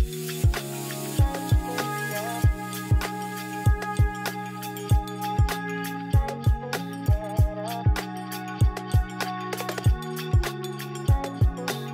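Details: Hip hop style music with a steady kick drum beat and layered melodic tones, no animal sounds.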